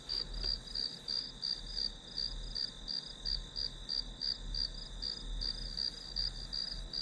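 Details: Grass insects in a background recording used as white noise for studying: a pulsed, high-pitched chirping repeated about three times per second over a steady high ringing tone, with a faint low hum beneath.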